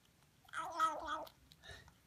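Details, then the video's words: New Siamese kitten vocalizing while eating: one drawn-out, slightly wavering, growly harmonic cry lasting under a second, followed by a softer short murmur; quiet background otherwise. "Noisy Siamese Kitten Eating"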